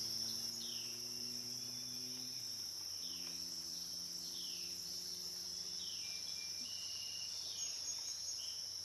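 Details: Continuous high buzzing of cicadas along the Licking River at Morning View, dusk-to-dawn session; scattered falling chirps sound overhead, while low steady hums drift in and out during the first half.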